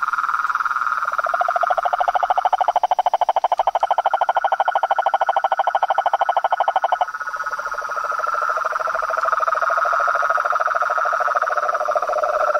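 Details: Frogs, toads and treefrogs in nature. A low, fast machine-gun rattle with bright overtones runs for about seven seconds over a steady high trill. The rattle then stops and a lower, smoother trill takes over.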